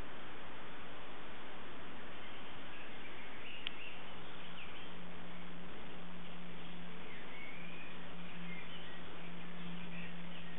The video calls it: Click Beetle